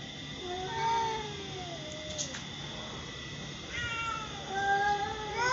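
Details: A white mother cat and her daughter of the same colour, indoors; drawn-out, wavering meows, one early falling call and a cluster of overlapping rising and falling meows later, over a soft steady hum.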